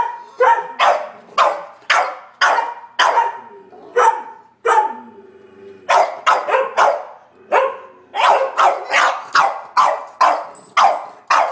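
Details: A Sheltie, a Collie and a French Bulldog keep up a barking chorus at a squirrel in March rain. About twenty harsh, bright barks come in fast bursts, broken by one short lull in the middle.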